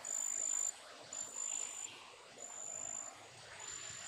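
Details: A big brown katydid, a garden pest, chirps in high, thin, steady bursts, each lasting about half a second.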